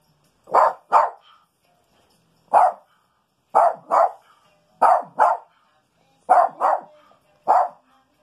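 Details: Indoors on a rainy day, Rico the Maltese barks while tracking a skunk's smell, likely under the house: quick doubled barks and single yaps separated by pauses of about a second or two, with no other noise.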